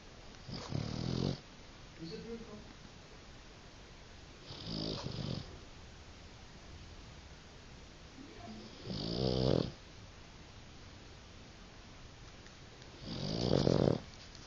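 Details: A Boston Terrier fast asleep snores in loud, rasping breaths about every four seconds, blowing bubbles as it snores.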